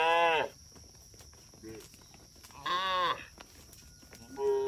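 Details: Cattle herd out on the road: a moo ending at the start, a faint low grunt, a clear arched moo in the middle, then another call beginning at the close.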